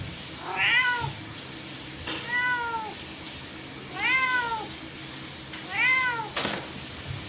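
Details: Domestic cat meowing four times, each call a rising-then-falling harmonic wail about a second long, spaced roughly two seconds apart, with faint soft knocks and low background hum.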